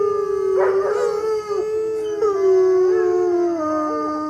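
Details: Dog howling: a long tonal wail near one pitch with rich stacked overtones, wavering and sliding gently downward over several seconds, with brief breaks in the voice.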